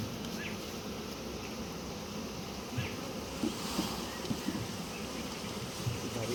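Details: Honey bees at a beekeeping site during a litchi honey harvest: a steady, low droning hum of many bees, with a few soft knocks and clicks over the continuous buzz.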